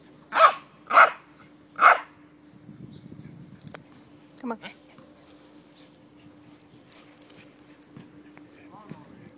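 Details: Jack Russell Terrier reacting excitedly on spotting a squirrel: three loud, sharp barks in quick succession over the first two seconds, then softer scattered yelps and noises over a low steady hum, with brief human laughter.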